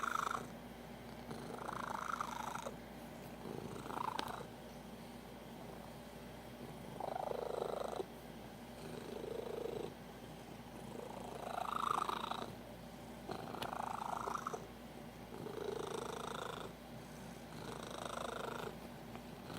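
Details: Domestic cat making odd noises when extremely happy, said to be worst at 3 AM; soft purring base with repeated mid-pitched chirping, trilling bursts every second or two, indoors.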